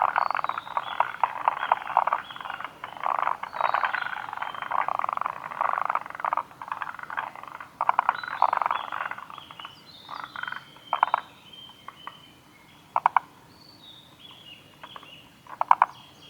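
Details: Chorus of forest green tree frogs at Kawaguchiko Field Center, Japan, 2 June 2019: busy overlapping rattling, chuckling calls, thinning later to separate short clattering bursts with pauses between.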